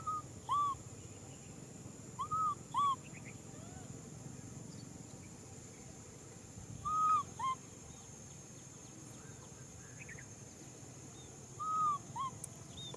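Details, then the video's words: Little macaque crying for a hug: widely spaced pairs of short, rising-then-falling tonal cries, with a quiet background and a faint steady hum. "Monkey baby Nui Simon cries out for a hug"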